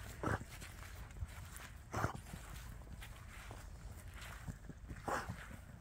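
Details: Around 1 a.m. in a home yard, one of three beagles gives short, resonant, hoarse "horn bugle" bays spaced a second or more apart, telling the others he has found the scent of a bunny, squirrel or possum, over a dull outdoor rumble.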